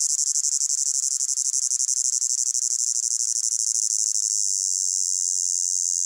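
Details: Crickets in a hot summer meadow: a dense, high-pitched chirring chorus of rapid pulses, steady throughout with slightly uneven beats, and no other sounds.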